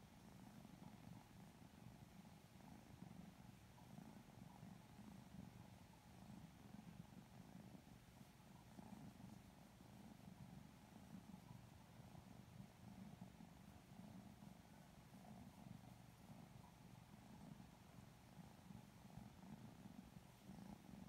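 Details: Lilac Modern Lynx Balinese kittens, petted and sleepy, purring contentedly; a long unbroken deep rumble with gentle rhythmic pulsing and light handling noise in the background.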